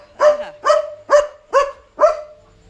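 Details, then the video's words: German Shepherd named Leo barking at night on household 'duty', alerting to another dog outside: five sharp, loud barks in quick succession, roughly two per second, over a faint steady hum. "Leo Knew There Was a Dog Outside! Smart German Shepherd"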